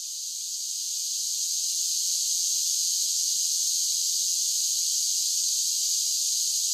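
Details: A chorus of cicadas sings on a summer day: a high, hissing buzz that swells in over the first two seconds, then stays level and unbroken. No birds, voices or other noises.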